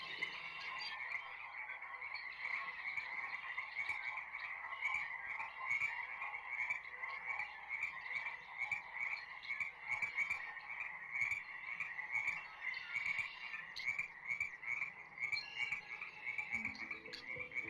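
A Venezuelan glass frog gives high, thin peeping notes, repeated about once a second.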